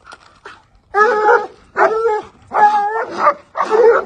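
A Treeing Walker Coonhound gives loud, harmonic, drawn-out barks, roughly one every three-quarters of a second.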